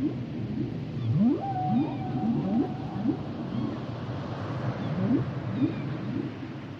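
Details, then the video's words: Humpback whale song underwater: a series of short upsweeping whoops repeated about twice per second, with a sustained tonal moan held near the middle, over a low rumbling background. "Sounds and Songs Of The Humpback Whales"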